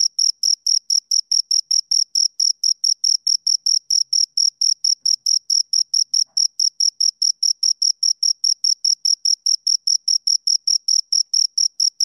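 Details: Two crickets giving a fast, unbroken series of piercing chirps, regularly spaced and steady in loudness, nothing else audible.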